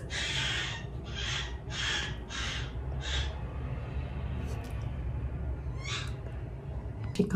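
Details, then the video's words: Winter, a young female Poodle, cries at night in her new home: five hoarse, breathy wails about every half second during the first three seconds, then near quiet with faint soft clicks and one sharp knock at the end. "How I stop my puppy from crying at night"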